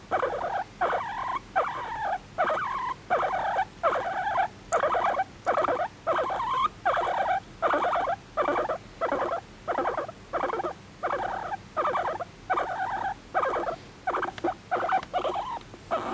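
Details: Pet guinea pig, adopted at one and a half years old, calling affectionately for attention: a long run of squealing wheeks, each about half a second, repeated more than once a second with brief gaps, in a quiet room.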